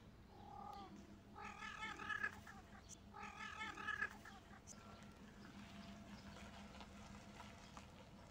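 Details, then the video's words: Street cats during mating season, a female in heat refusing a male: two drawn-out wavering yowls with rich harmonics, each about a second long and rising then falling, over a low steady hum and faint background noise. "Female cat in heat, cats mating season!!!"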